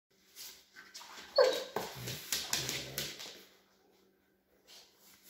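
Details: Dog. A dog starts with a high, rising whine, then breaks into several short, harsh barks and yelps over about two seconds. The sounds echo slightly, as in a small indoor room.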